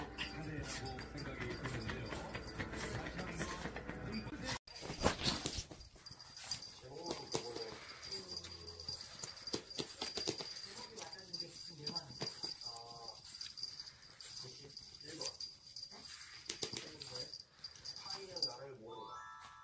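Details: Dubu, a pet Maltese described as very clingy and obsessive, gives short rising whines and whimpers in the second half, with voices and household noise before it.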